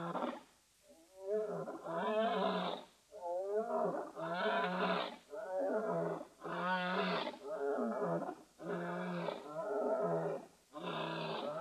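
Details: Wild male lions, a pair, roaring as they walk and scent mark on the savannah next to Etosha National Park, northern Namibia, filmed by webcam; a steady run of deep, harmonic roaring groans, about one every two seconds, each rising and falling.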